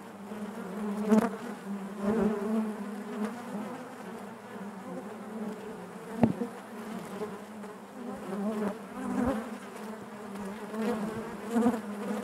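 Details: Honey bees buzzing inside their hive: a dense, steady drone centred low with layered harmonics, swelling and easing in loudness, with brief sharp clicks near one, six and nine seconds.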